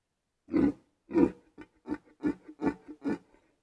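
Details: Red deer in the Białowieża Forest, Poland, during the 2023 rut, with a wounded stag noted; a loud series of seven grunting roars, two longer opening bursts followed by shorter rhythmic grunts about every third of a second.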